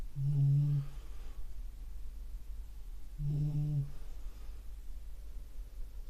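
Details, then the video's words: Beagle asleep indoors, snoring: two deep, droning, tonal snores, each under a second long, about three seconds apart, with low room hum in between. "ビーグル いびきかいて寝てますｗ"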